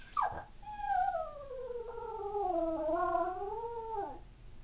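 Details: Female toy poodle born in 2003, howling and crying indoors when her family leaves the house: one long, tonal, wavering howl lasting about four seconds, dipping and then rising in pitch, with a short sharp yelp just before it.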